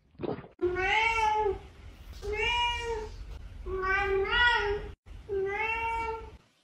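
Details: Domestic cat indoors giving four drawn-out, harmonic-rich meows, each about a second long and spaced by short pauses. The first rises slightly, and the later ones hold steady before trailing off. A faint room hum sits underneath.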